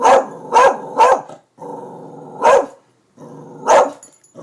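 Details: Darby the pet dog, worked up over construction workers at the new buildings, fires off three quick sharp barks, then low rumbling growls broken by two more loud barks.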